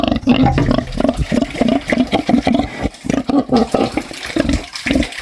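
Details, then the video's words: Rapid, choppy grunts and snorts from a pig, low and rasping, coming almost continuously with tiny gaps, a few sharper nasal notes standing out; faint watery background noise. "Som de porco ronc ronc - snoring pig sound"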